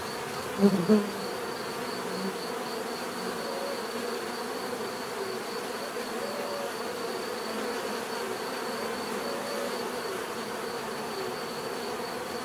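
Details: Bees buzzing naturally, opening with two quick loud close passes of a single bee, then settling into a steady swarm hum with overlapping wingbeat tones and a faint high whine.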